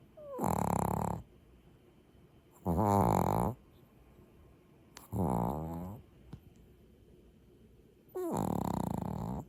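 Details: Maltese dog snoring in its sleep, four loud rasping, harmonic snore breaths, each lasting about a second and repeated every two to three seconds, with quiet pauses in between and a faint click.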